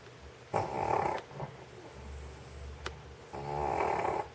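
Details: Old stray dog in Sheregesh sleeping on a warm studio floor after eating sausage, snoring indoors: two long raspy nasal snores about three seconds apart, with a faint click between them.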